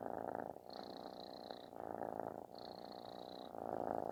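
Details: Kitten purring loudly like snoring while seeking affection indoors; a continuous rumbling drone with pulsed texture, swelling in phases, with a faint high steady tone appearing twice over it.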